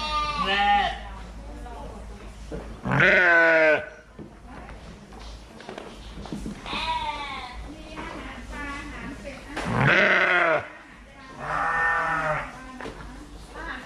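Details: Several bleats from fluffy sheep, loud wavering baas spaced a few seconds apart, some dropping in pitch at the end, with quieter overlapping bleats and background murmur in the gaps.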